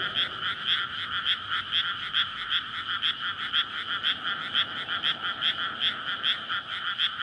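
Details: Frog chorus at night in May from a flooded rice paddy surrounded by housing, courtship calling after water is let in before planting, recorded on a SONY PCM-D100; dense rapid croaks pulsing about twice a second, many frogs overlapping continuously.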